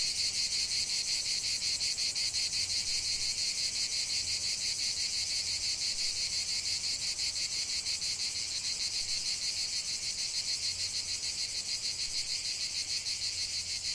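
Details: Cicadas in a lavender field produce a steady high-pitched rasping chorus, pulsing rapidly and slightly less evenly, fading a little toward the end, with a faint low hum in the background.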